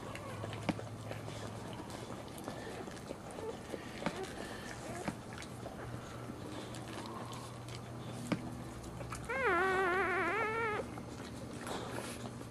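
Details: Newborn Boxer puppy during a litter's birth indoors: one wavering, high, nasal squealing cry lasting about a second and a half, over wet licking and rustling noises and a steady low electrical hum.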